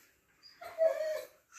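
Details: Siberian Husky Baikal indoors, guarding an ear from the pestering puppy Lucky and complaining: one drawn-out, steady mid-pitched whine lasting about half a second, framed by soft rustling.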